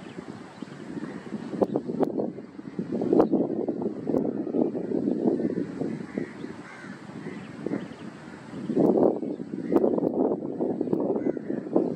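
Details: Gusty wind buffeting the microphone, with a low, rumbling, vehicle-like roar that swells and fades; no clear animal calls stand out.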